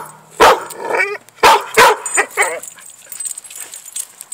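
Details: Playful pit bull pup gives three quick, punchy barks within about a second and a half, followed by a short whiny, wavering tail of sound, then quiet background.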